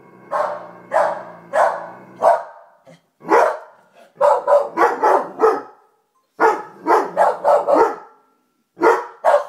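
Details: Two pet dogs, Mocha, a Lab/Weimaraner mix, and Peanut, a Corgi, barking and growling at a Call of Duty poster just hung on a wall: loud sharp barks in quick clusters, a low growl under the opening volley, brief silent gaps between bursts.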